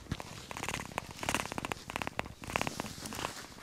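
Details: A very young cheetah cub, whose eyes have only recently opened, purrs softly after a neck scratch while with its mother Abi: a faint rapid rumbling broken by scratchy rustling.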